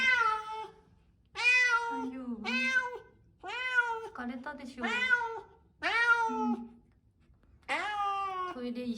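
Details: Rescued former stray tortoiseshell cat crying desperately and continuously on moving day at dawn, confined to a soft cage while the large cage is still in the moving truck; loud, harmonic meows, rising then falling, repeated about every one to two seconds, indoors.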